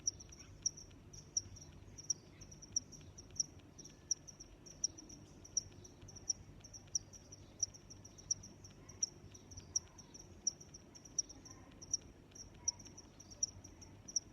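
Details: Continuous rhythmic cricket chirping, high-pitched chirps repeated roughly every 0.7 seconds, accompanied by fainter chirps of other crickets and a low, soft ambient hum throughout.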